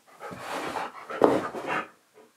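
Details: Husky Key argues during indoor filming of an outro, told to get back up; a continuous, rough, rising and falling grumbling vocalization lasting about two seconds, ending in a faint breathy tail.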